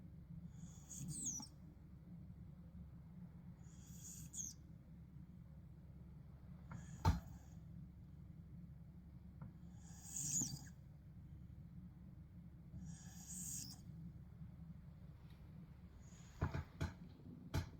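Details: A sleeping Tibetan Mastiff snoring and passing wind indoors; soft breathy snores recur roughly every three seconds with hissing bursts, over a low steady hum, with a few sharp clicks near the end.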